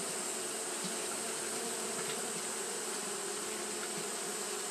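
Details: Japanese honey bees fanning nonstop on a hot day: a steady, dense droning hum with low tonal bands and a broad airy hiss above, unbroken for the whole stretch, with no other sounds.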